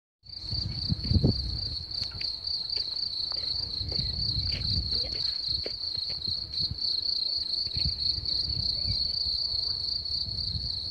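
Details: Crickets sing in a steady trill, a continuous high-pitched chirring that never pauses.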